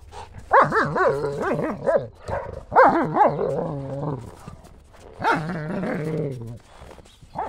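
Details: Two German Shepherds, Buffy and Willow, at play chasing a ball in the snow in January; bursts of rapid, wavering barks and growly yowls, rising and falling in pitch, in three long runs.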